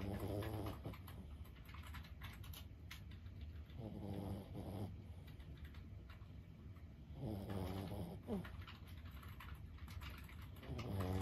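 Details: Lulu, a 15-year-old senior Boston Terrier, snoring while asleep indoors: low, throaty, harmonic snores on the in-breath, repeating about every three and a half seconds, with quiet soft clicks and faint background noise between breaths.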